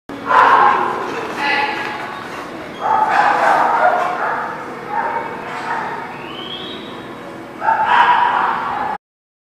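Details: Dog barking at The Barking Lot on 1/6/20, loud harmonic bursts near the start, around three seconds and again near nine seconds, with quieter voices and yips filling the gaps.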